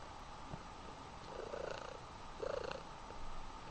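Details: Mother cat hugging her baby kitten: soft, throbbing purr heard in two short pulsing bursts about a second apart over a steady background hum.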